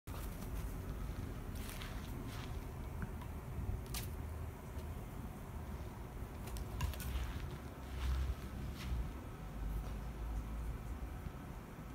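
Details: Low background rumble with scattered soft taps and crackles, possibly footsteps, and no animal call.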